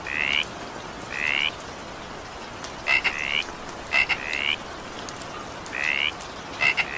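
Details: Frog calls in evening rain, brief upward-sweeping croaks, some paired with a quick clicking onset, spaced about a second apart against a constant patter of rain.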